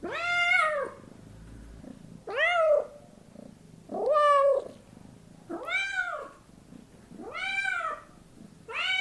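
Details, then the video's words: Domestic cat calls from a house cat recording: six repeated meows, rising and falling, about every one and a half seconds, some strained and harsher, with a soft low background noise throughout. "Kittens and cats meowing voice"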